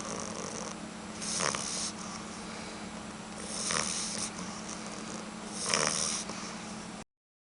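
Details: Snoring of a sleeping puppy, three airy, rasping breaths spaced roughly two seconds apart above a constant low hum, ending abruptly.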